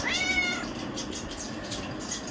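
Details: Pet cat Areesha meows insistently, demanding chicken. One clear, tonal meow opens the clip, held briefly and then sliding down in pitch. Faint background hiss and quiet room noise follow.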